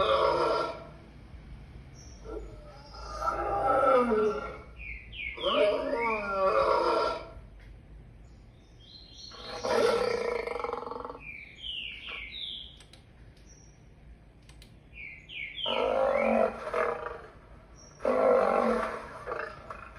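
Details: Lion roaring in a series of harsh, drawn-out bursts about two seconds long, separated by short pauses, while small birds chirp with quick high notes in the gaps.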